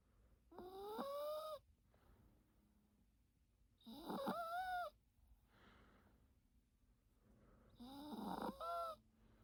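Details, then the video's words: Yorkshire Terrier named Teto snoring during a daytime nap: three whistly, wavering snores with gliding tones, each lasting about a second and coming roughly every four seconds, with quiet breathing between them. "요키 테토공쥬❤️코골이"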